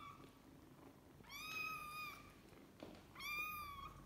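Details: A kitten from a litter kept with its mother cat gives two long, high, steady meows, each lasting about a second, with a short pause between them over quiet background hum.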